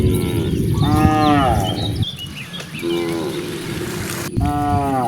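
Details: Dozens of cows roam freely in nature. Three clear moos come, each about a second long and slightly rising then falling, separated by short pauses, with faint chirps above and low rumbling noise.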